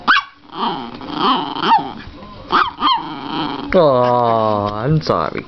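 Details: Female Chihuahua playing at being vicious toward a slowly nearing hand: growly yaps and snarls, then a long, steady, low drawn-out growl lasting about a second, ending in a quick yip.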